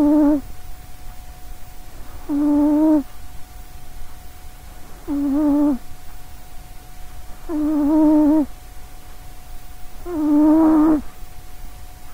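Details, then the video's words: A short-legged female cat asleep beside a microphone, snoring loudly: droning, tonal snores roughly 0.7 seconds long, coming every two and a half seconds, five in twelve seconds, over a faint steady hum. "sausagecat snoring"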